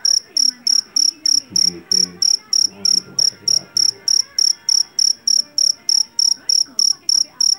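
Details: Loud-voiced jangkrik jeliteng field cricket, caught in a rice field, keeps up a regular train of sharp, ringing high chirps, roughly three each second, with faint low rumbling sounds behind.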